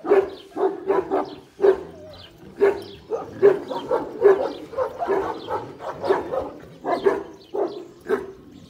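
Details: Kangal barking at a dog farm that breeds Kangals. Deep barks come in irregular clusters, some closely stacked and overlapping, with a few brief pauses in between.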